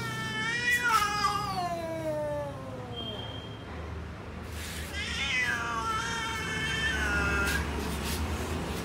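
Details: Cats in a garden producing long harmonic meows: a loud falling call lasting about two seconds, then a second rising-and-falling meow, with low-pitched background hum.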